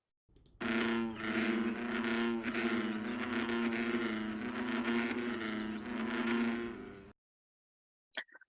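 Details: A few male American bullfrogs in a pond give advertisement calls in the mating season, overlapping in a deep, droning chorus.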